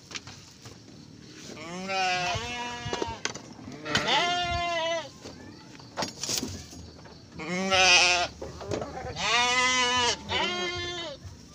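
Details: Morning on the 24th of Ramadan, Garut sheep in a pen as a ewe births triplets: a series of five or six quavering bleats, some short and some drawn out, with handling noises and faint voices between.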